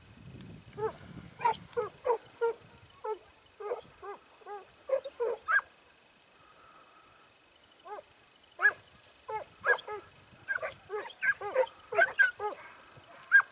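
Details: Segugio Italiano hound in training at Sofiko, Evros, on 12 September 2018, giving bursts of ringing, arched barks in quick series, a pause of silence midway, then a livelier run of yelping bays.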